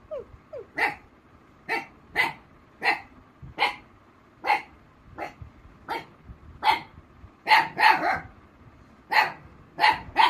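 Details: A female Black Mouth Cur, Rossy, reacts to a mimicked puppy call by barking. A couple of faint high whimper-like squeaks open the clip, then about fifteen sharp barks follow, speeding into close pairs toward the end.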